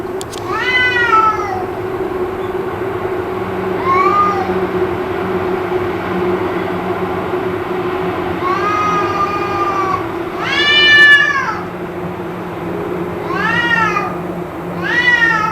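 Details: Cats caterwauling endlessly, possibly in a fight, a racket that went on for around two hours: a string of loud, harmonic wails, some rising sharply and others held flat, repeated every couple of seconds above a constant low drone.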